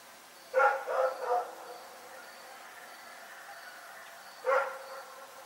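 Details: Night barking from Rex the dog. A burst of three rough barks in rapid succession, a pause of about three seconds, then one more single bark.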